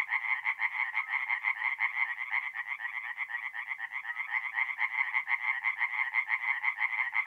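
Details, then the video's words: Chorus of tree frogs at a north-east Italian forest pond by night in mid-April; overlapping harsh, rattling croaks pulse steadily about twice a second with no other sounds. "relaxing forest pond by night with singing tree frogs"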